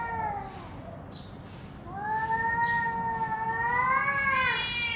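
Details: Cats in a standoff, one warning the other to back off; long, drawn-out wavering yowls, rising and sliding in pitch, with a louder rising wail building toward the end.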